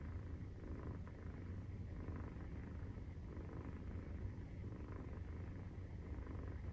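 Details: Nursing-time purr of a Maine Coon cat with a 43-day-old kitten, heard as a heavy low rumble with slight regular swelling, close to the microphone and otherwise quiet.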